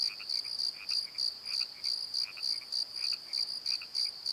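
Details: Crickets calling at night in a valley bottom beside a tree at Pozo, a steady high pulsed chirp repeating about three times a second, with fainter lower chirps from a second caller woven between the pulses.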